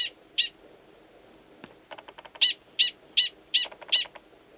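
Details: Gunnison's prairie dog male 45 gives a mating call, alike in sound to its alarm call, in Valles Caldera National Preserve, New Mexico, March 2017; two high barks, a pause of soft clicks and rustling, then five quick barks.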